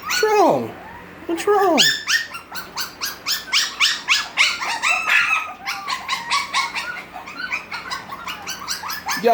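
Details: Six-week-old Havanese puppies of Gracie's litter, crying more than playing, pour out a continuous stream of overlapping high yelps and whines after two drawn-out descending whimpers, with a person talking to them.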